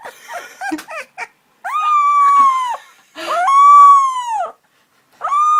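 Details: Puppies learning to howl give several fairly high, drawn-out howls, each a second or more, arched and slightly falling at the end. Short squeaky yelps come at the start, with brief silences between howls.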